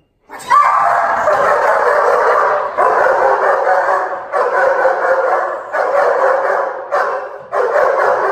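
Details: Dog barking during protection training: dense, harsh barks run together into long unbroken bursts of a second or more, separated by brief dips, continuing without pause for about eight seconds.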